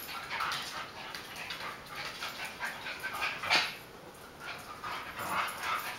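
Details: Buddy, a beagle-basset hound mix, and Sonic, a chihuahua-dachshund mix, romp in a kitchen in July 2013; a steady run of soft, breathy grunts and scuffles with one sharp yelp midway and rougher bursts at the end.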